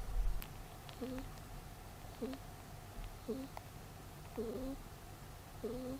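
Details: Peter, a pet rabbit, snoring while asleep: short squeaky nasal whistles with two stacked tones, the lower one sliding slightly upward, repeating about every 1.1 seconds over a low background hum.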